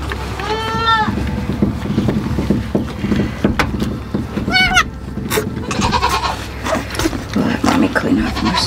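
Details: Nigerian Dwarf goat doe Lolli on a farm, bleating during labour as she delivers twin girls, her second freshening, without assistance. Two wavering bleats with rich harmonics, one near the start and one midway, over a woman talking and rustling straw.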